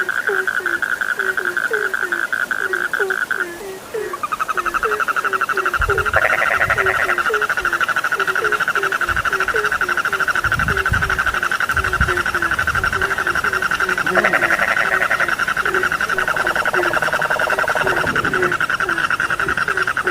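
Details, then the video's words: Frogs call with rapid, low, downward croaks in a busy chorus, joined by a steady high trill, loud buzzy bursts and a few soft low thumps. "The sound of frogs lulls sleep, 30 minutes you fall asleep soundly.( Suara katak Penghantar Tidur )"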